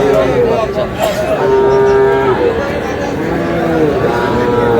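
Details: Sahiwal bulls and calves at Aftabganj cattle market in Dinajpur during trading at the start of the market on 11 July; long, steady, tonal moos, one held about a second, over loud crowd chatter and bargaining voices.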